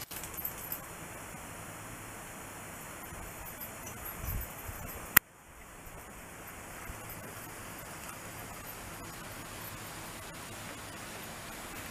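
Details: Quiet outdoor background hiss with a sharp click near the midpoint and faint rustling; no animal calls heard.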